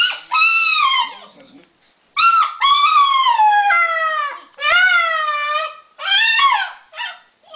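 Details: Eight-week-old Alaskan Malamute puppy at home answers a creaking door in a Lowe's commercial on TV with a string of loud, tuneful yowls, wavering and bending down at the ends, about five bursts separated by brief gaps.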